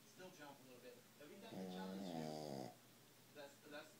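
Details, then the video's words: Asleep after a long park walk, Rosie the Shih Tzu gives one drawn-out, rumbling snore lasting just over a second, with softer breathing noises before and after in a quiet indoor room. "Rosie snoring"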